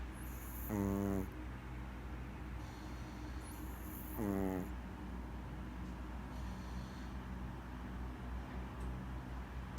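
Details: Sleeping Maltese dog snoring: two strong buzzy, rattling inhaled snores roughly three and a half seconds apart, with breathy exhaled hisses between them and a constant low background hum.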